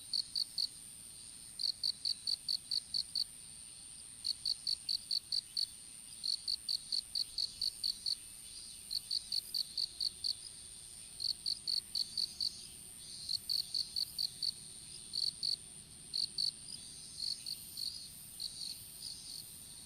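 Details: Insect calls from an outdoor strawberry field, recorded on a smartphone that fell while seedlings were set out: crisp trains of five or six quick high chirps repeated every second or so above a steady faint whine.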